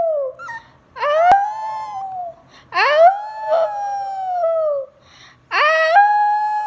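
A Shih Tzu howls in three drawn-out bouts, each a rising, wavering tone that slowly sinks away.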